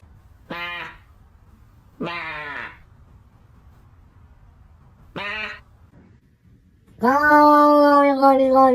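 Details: A domestic cat making strange sounds: three short, harmonic, wavering meows spaced a few seconds apart, then a longer, louder, steadier drawn-out cry at the end, over a quiet room.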